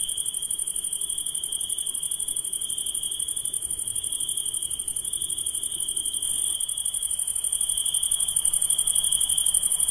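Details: Insects calling at night: a steady, unbroken high trill holds one pitch throughout, layered over a dense, shimmering hiss of many callers even higher up, growing slightly louder toward the end; no other sounds stand out.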